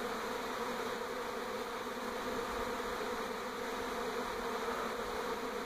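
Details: Swarming honey bees in NE Portland in 2018, relocating from old hive to new: an unbroken, even buzzing drone from countless wings, no other sounds standing out.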